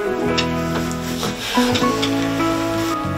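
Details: Short plucked instrumental music with bright melodic notes over low sustained tones; no animal voice is heard.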